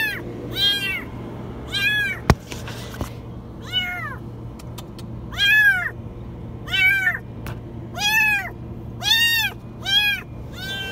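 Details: Kitten stuck in a washing machine meowing very high and insistently, about ten sharp arched cries at roughly one-second intervals, with a few knocks and a low hum behind.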